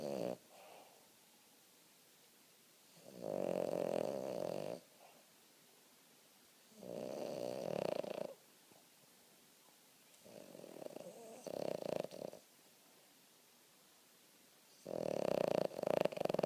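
A Boston terrier snores loudly in long, rattling breaths that come every three to four seconds. Each snore is a throaty, buzzing rasp, separated by near silence, with a faint wheeze at the end of some breaths.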